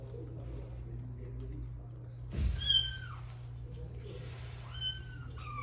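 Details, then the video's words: Domestic cat excited at the sight of meat: two drawn-out, downward-sliding meows a couple of seconds apart, the first preceded by a thump or rustle, over a steady low hum indoors. "cat freaking out at the sight of meat"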